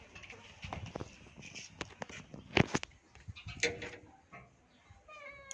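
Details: A domestic cat being fed, giving a short rising meow near the end, set among clattering knocks, rustling and handling noises indoors.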